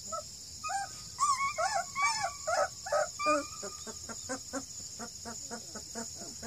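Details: Two-and-a-half-week-old Redbone Coonhound pups near Kingston, Ontario, Canada: loud overlapping whining squeals for about three seconds, then a rapid regular series of short puppy yips roughly three per second, with a faint steady hum.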